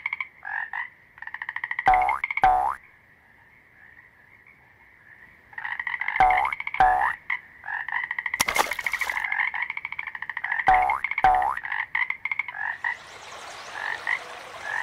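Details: Frogs croaking with loud rapid pulsed trills, sharp downward-swooping paired calls repeated every four seconds, a steady chorus drone underneath, one brief broadband burst, and a hissy wash at the close.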